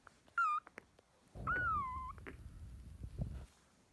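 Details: Fostered kittens, part of a litter of sisters taken in spring 2017, give two high, bending mews, a brief one then a longer falling one, over a low rumbling murmur beneath.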